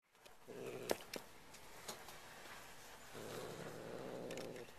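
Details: Indoor Bengal cat growling while guarding a new feather toy it will not give up. Two low, rumbling growls rise and fade, one brief and one longer, with sharp clicks and handling noises between them.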